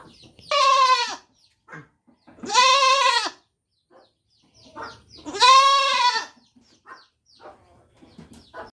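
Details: Young goat repeating three loud quavering baa bleats about two and a half seconds apart, with faint shuffling and small knocks between them.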